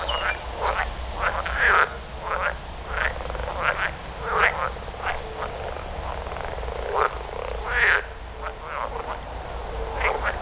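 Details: Edible frogs (Pelophylax kl. esculentus) give mating calls in a chorus of harsh, rattling croaks, each burst a rapid string of pulses, several males overlapping every second or two.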